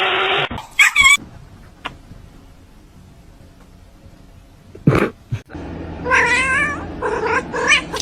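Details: Domestic cat giving a brief strained cry early on, then quiet with thumps, followed by a longer wavering, yowling caterwaul of several pulsing notes near the end, with speech around it.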